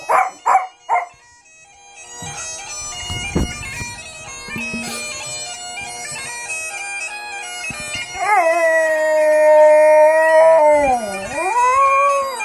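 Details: Dog howling at bagpipes: a few short sharp bursts open, then after droning pipe music a long sustained howl wavers, dips and rises again over the steady bagpipe chanter and drones.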